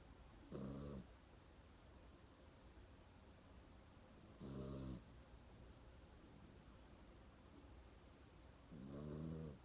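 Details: Sleeping dog snoring indoors in a small room: three deep, rattling snore breaths, each about half a second long, spaced roughly four seconds apart over a quiet background hum.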